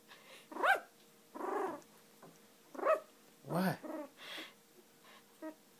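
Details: A two-week-old female Cocker Spaniel puppy, finding her voice, makes high, squeaky growls in brief, uneven tonal bursts rising and falling, while being held and softly talked to.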